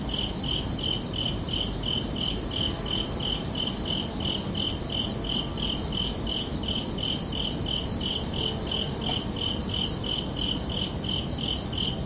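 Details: Nighttime crickets keep up a continuous, metronome-like chirping, nearly three shrill pulses a second, with one brief sharp click partway through and steady hiss underneath.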